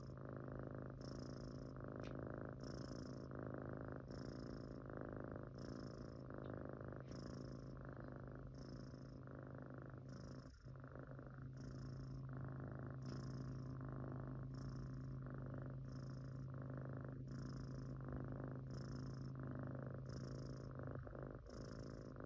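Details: Munchkin kitten snoring while asleep: a steady, low rumbling purr-like drone with rhythmic breathing pulses, roughly four per second, and soft airy hiss on each breath, indoors with no other clear sounds.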